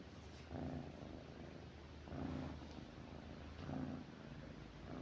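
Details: House cat lying close to its owner at night, low purring that swells in regular waves about every one and a half seconds, with soft breathy texture between surges.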